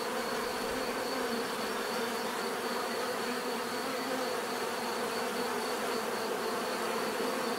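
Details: Bees buzzing in nature, an even, unbroken swarm drone with stacked hum tones and a thin steady high whine running throughout.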